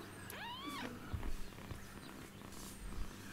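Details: Street kitten, woken after lying motionless on the floor, gives a short rising-then-falling meow near the start; people talk quietly in Russian and a low hum runs underneath.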